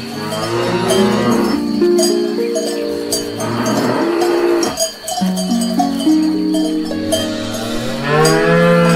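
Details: Grazing cows eating grass; drawn-out lowing moos rise and fall across the stretch while cowbells clank and ring continuously behind them.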